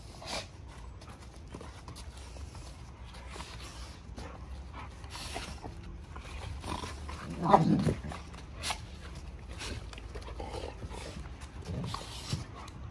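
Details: Giant Schnauzers playing rough, wrestling each other: soft panting and scuffling, then one loud growling bark-like burst in the middle, followed by a few shorter grunts.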